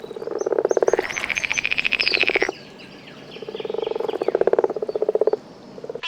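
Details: Bright green tree frog with poisonous skin, potent defensive toxin and adhesive toe pads, in the Congo rainforest; pulsed trilling bursts near a low tone, with a rising buzzy trill in the middle, and other amphibian voices around a watery setting.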